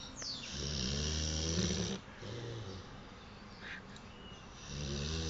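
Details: Ares, an old pet Boxer dog, sleeping: deep, rumbling snores with strong low harmonics, one long drawn inhalation lasting about a second and a half, then a shorter rasp and another building snore after a quiet pause.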